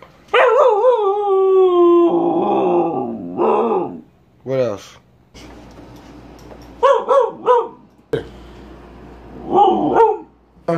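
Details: Natsu, a pet dog, opens with a long wavering howl that drops in pitch, then breaks into short sharp barks and yips in bursts, with pauses between and some human voice nearby indoors.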